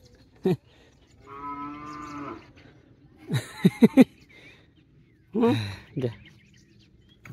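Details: Cattle on a traditional farm in Konkan, Maharashtra, India, during sowing season; a sustained harmonic moo of about a second, between sharp spoken words and handling noises, with people talking around the animals.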